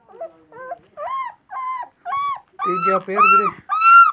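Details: Puppies offered for sale in India, several breeds kept together; a run of about eight short, high, tonal whines, each arching up then down, growing louder and fuller toward the end, with quiet gaps between.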